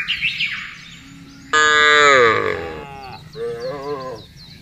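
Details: Big herd of cattle moving together while driven over broad grassland; faint bird chirps at first, then one loud, sustained moo sliding slightly downward, followed by a shorter wavering moo.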